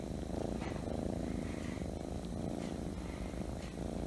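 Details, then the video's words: Scottish Fold or Scottish Straight kitten purring at home, a clean, even, deep vibrating rumble held throughout with a soft, regular pulsing texture. "My kitten is the purring machine | Scottish Fold | Scottish Straight |"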